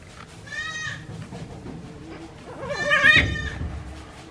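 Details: Newborn goat kids, one day old, on a Japanese goat farm in April 2024: two short harmonic bleats, the second louder and quavering, over low background rumble and faint voices.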